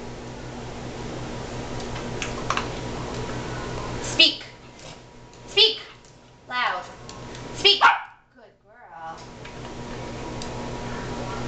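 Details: Cavalier King Charles Spaniel doing tricks on command, barking to the cue speak: a few short, separate yaps spread over several seconds, with steady background hiss.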